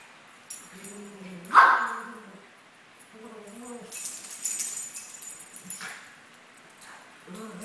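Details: Two Maltese dogs, 17 months old, at play: short tonal whines and growls, broken by one loud sharp bark or yelp near the start, with rustling and scuffling noises between calls.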